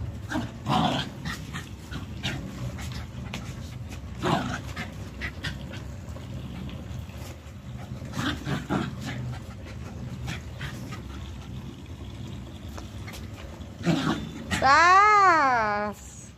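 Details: A Pomeranian that wants to play; rustling, thumps and panting for most of the time, then a loud whine near the end that rises and falls in a wavering arc.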